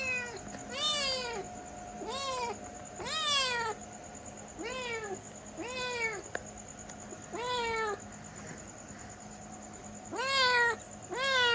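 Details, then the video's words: Repeated insistent meowing from a domestic cat, about nine calls that rise and fall, mostly close together with one longer gap, over a faint steady hum. "Cute Cat Sound 😻🐱 | Funny Meow Sounds for Kids"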